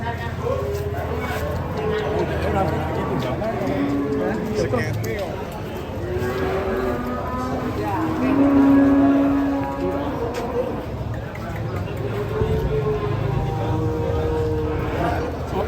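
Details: Big fattened cattle coming down off a truck in Indonesia, several drawn-out lowing moos rising and falling across the scene, mixed with men talking and calling out, engine rumble and general outdoor commotion.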